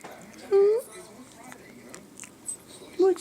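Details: Tommy, a pet chihuahua, cries indoors in a cat-like meow because he is spoiled. Two short, high, rising whines, one brief and one slightly longer, are separated by near silence with faint room sounds.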